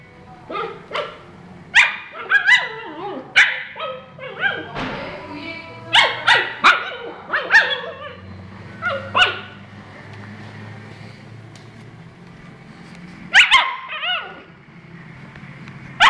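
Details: Husky giving a series of yelping, wavering howl-like calls and barks in uneven bursts, with quiet gaps between them and faint background music.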